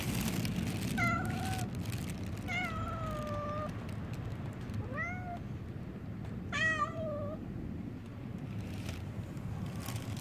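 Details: Stray cats meowing outside, four drawn-out falling and wavering mews spread over ten seconds, one short rising call among them, against a constant low engine-like hum.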